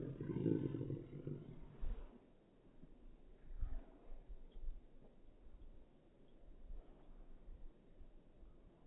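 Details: A short, harsh, moaning growl opens the scene as Irish Wolfhounds Sunny and Naomy play in the first snow, followed by quieter scuffles and a brief low thump amid soft outdoor background noise.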